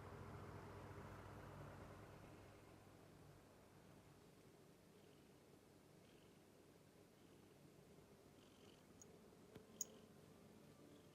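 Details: Domestic cat named Mimi purring while playing: a low, steady rumbling purr with layered low tones, stronger over the first two seconds, then softer and even, with a faint sharp click near the end.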